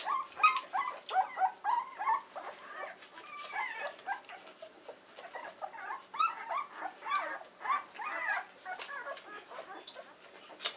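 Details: Weimaraner puppies, 14 days old, in a whelping box in the morning: thin, high squeaks and yelping whimpers from several pups, rapid and overlapping, over soft rustling.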